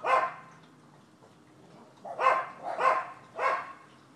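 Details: A single bark from the neighbors' dogs on 7 December 2015, then a pause and three evenly spaced, sharp barks about half a second apart.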